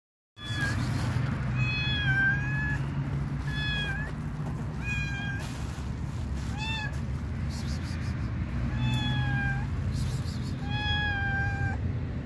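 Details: A shy stray cat waiting to be picked up gives a series of clear, slightly falling harmonic meows, about eight calls spaced one to two seconds apart, over a steady low rumble of traffic or engine noise.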